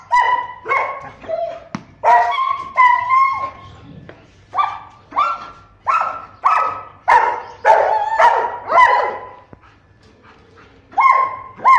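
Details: Kennel German Shepherd Dog in Rajasthan giving a steady run of ringing barks, about two per second, pausing briefly before a final pair.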